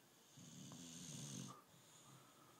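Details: A sleepy British Bulldog named Tyson gives one low, rumbling snore lasting about a second, with a soft hiss above it, while someone coaxes him to get up.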